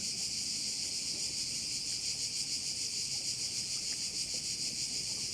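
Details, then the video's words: Crickets at a bay on the Croatian island of Korčula produce a loud, constant high-pitched trill, softly pulsing roughly three times a second, over a quiet low background murmur. "View of one of the bays in Korcula with sounds of crickets"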